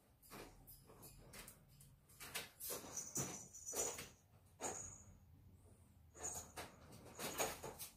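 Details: Ferrets in a fight give irregular rasping, hissy bursts roughly once a second, mixed with rustling scuffles and thin high tones, rising to louder clusters midway and again near the close.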